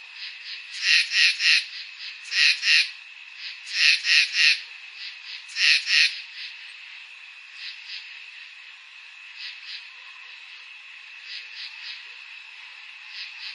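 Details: Crickets calling on a summer night: loud groups of two to three rasping pulses repeat every couple of seconds, then fade to softer, scattered chirps over a steady background drone.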